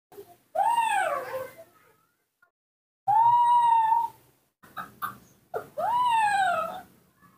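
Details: Newborn baby monkey raised in a home, calling for its mother: three clear whistled cries, each rising then sliding down in a smooth arch, separated by short pauses, with faint soft clicks between.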